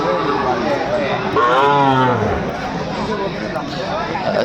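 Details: Sahiwal bull at a cattle market, 17 December 2024, where a farmer from Chattogram buys Sahiwal bulls: one low, drawn-out moo about a second long that dips in pitch at its end, over steady crowd chatter and bargaining voices.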